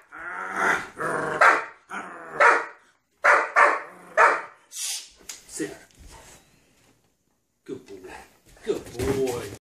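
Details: Doberman defending an elk antler against its owner gives rapid rough barks and growling bursts in uneven runs, then pauses while a person talks; more snarling sounds mix with the voice near the end.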